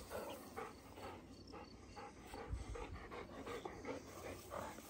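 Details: Dogo Argentino panting on a walk with other Dogo Argentinos outdoors; quick, breathy, rhythmic bursts about two to three times per second, steady throughout, with a faint low rumble underneath.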